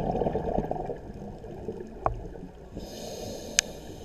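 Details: Pistol shrimp biting a brass clip, giving a loud bite: two sharp, crackling snaps, one near two seconds and a crisper one near three and a half seconds, over a low, murmuring watery background.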